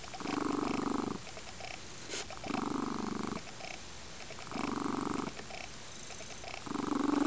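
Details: Crystal, a female lynx-point Siamese being fostered, rumbles a steady purr while relaxing in weekend afternoon sun on a windowsill; four throbbing purr bursts alternating with fainter in-breath stretches, recorded close up indoors.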